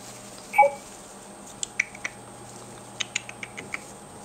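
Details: Gerbil pups five and a half weeks old, black and agouti, kept as pets: a brief high squeak followed by scattered faint ticking and scratching sounds against a steady electrical hum.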